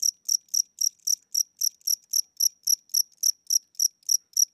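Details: Aging cricket in a house at night, chirping at a slowed tempo as its wings weaken; crisp, high, evenly spaced chirps about four per second over silence.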